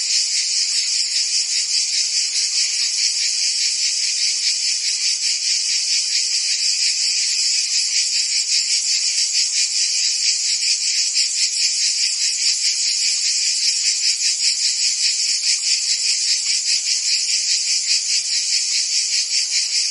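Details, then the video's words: Crickets with other insects keep up a continuous, piercing high chirring, pulsed evenly a little more than twice per second, constant in loudness, free of any other noise. "Cricket and Insect Sounds"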